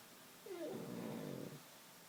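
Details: Sleeping pug, dozing upright, gives one snore of about a second, a harsh, low rasping breath opening with a thin whistling squeak, in a quiet room.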